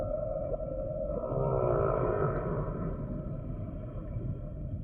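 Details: Humpback whale song with a long, wavering moan carrying stacked harmonic bands, rising slightly mid-phrase and then fading, over a steady low underwater rumble.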